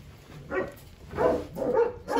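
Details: Hungry Rottweiler puppies, eleven of them after group deworming, crying for food: short harmonic yelps and whines in separate bursts about half a second apart, several pups overlapping, indoors.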